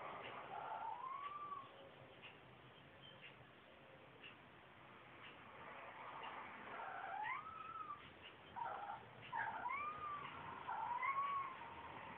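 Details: Domestic cat Boo Kitty's wake-up meow, likened to a squeaky door: rising, bending cries repeated over and over, growing louder and more frequent toward the end, indoors in the morning.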